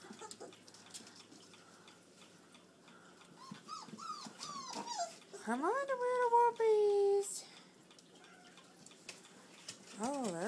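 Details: Four-week-old puppies from Duchess and Dylan feeding together indoors. They give high tonal whines that rise and then slide downward in a cluster, with a long drawn wail near the middle, while a person talks and exclaims excitedly throughout.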